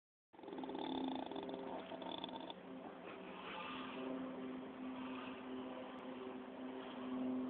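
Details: A sleeping pig, apparently dreaming as if chasing squirrels, gives a steady, droning snore with a low, buzzy hum throughout.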